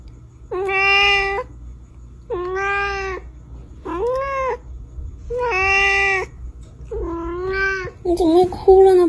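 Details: Pet cat in a funny cat compilation meowing five times in a row, each loud, even call lasting about a second, spaced roughly every one and a half seconds, ending with a rougher, wavering cry amid faint background noise.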